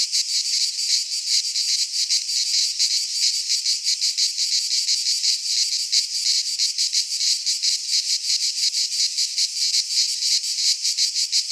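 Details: Cicadas in a Greek pine forest at midsummer make a bright, grating electric hum, pulsing rapidly and evenly throughout, filling the whole stretch without pause.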